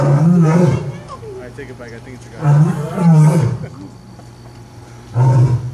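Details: A male lion at Omaha's Henry Doorly Zoo gives deep, rumbling roars in separate bursts, with people talking nearby; he then walks off, perhaps near feeding time.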